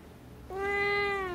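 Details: Black-and-white tuxedo cat, kept indoors, answers back while being scolded for swallowing something: a clear, steady, slightly falling meow about a second long, over low room hum.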